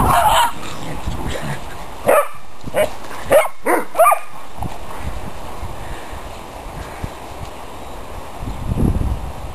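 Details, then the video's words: Playing dogs give a burst of five sharp barks over about two seconds, then go quiet apart from low background rumble and a faint voice. "Dogs Playing"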